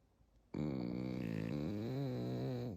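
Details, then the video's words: Sleeping pet Pekingese snoring indoors, compared to a father's snore: one long, steady, deep droning snore lasting about two seconds, starting abruptly and dipping slightly in pitch near the end, with a quiet room behind it. "페키니즈 코골이 현실, 우리 아빠인줄"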